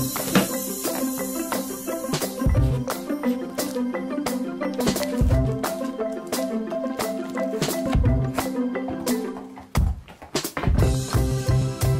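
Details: Upbeat marimba and percussion music with rattling shakers plays throughout, steady rhythmic knocks and no animal calls audible.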